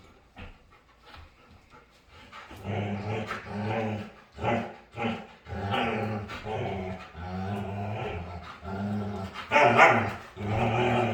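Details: Playful dog grumbling and growling during a game, a series of low, rumbling harmonic vocalizations in uneven bursts roughly once a second, growing louder toward the end.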